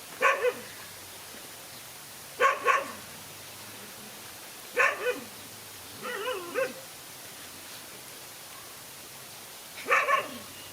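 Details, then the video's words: Fight between a lone dog and two male dogs: single and doubled harsh barks repeated every two to three seconds, with one wavering yelping growl in the middle, over a faint low hum. "No fear to fight a lone again two male dogs"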